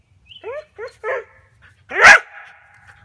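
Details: Border Collie at play, barking at a light tree branch pulled down by a tethered ball that another collie herds. Three quick yelps falling in pitch come first, then one loud, harsh bark with a trailing whine.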